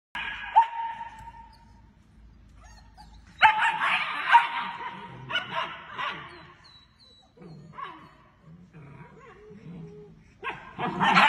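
German Shepherd puppies give a thin whine, then bursts of high yips and soft whimpers.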